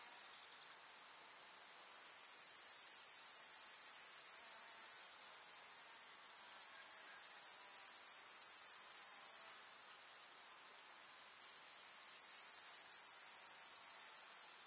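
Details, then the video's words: Meadow grasshoppers on a summer day in the countryside: a shrill, continuous high buzz that swells and fades in several long waves, with abrupt drops in intensity. "КУЗНЕЧИКИ. Слушать звуки летнего луга"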